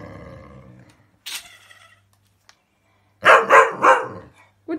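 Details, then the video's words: Cocker spaniels reacting to a lint roller, with a woman's speech early on, then a rapid burst of three harsh barks near the end. "Cocker spaniels react to lint roller"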